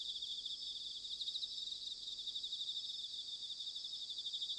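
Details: Massed autumn bell cricket chorus recorded in Sanuki, Chiba, Japan: high, tremulous, continuous ringing trills from many insects overlapping in a constant shimmering wall of sound.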